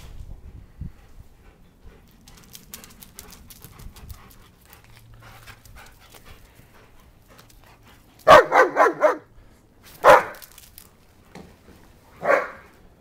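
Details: Two German Shepherds playing fetch: after a quiet stretch of faint rustling, a rapid run of four or five sharp barks, then two more single barks spaced about two seconds apart.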